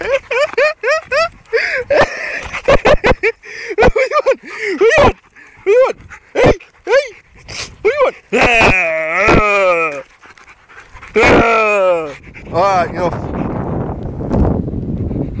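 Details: Rottweiler named Rufus at play, giving a long run of rising and falling whines, yips and howl-like moans, many short bursts then drawn-out wavering notes, with a man's voice talking to him in between.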